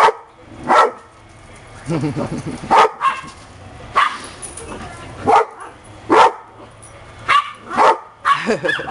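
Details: Dogs, described as happy pups, barking in short sharp bursts spaced about a second apart, with some wavering whine-like tones between barks.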